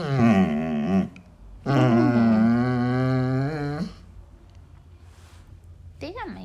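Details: Basset Hound vocalizing while asking for hugs: a wavering harmonic howl, a pause, then a longer sustained moaning groan about two seconds long, ending with a short high whine.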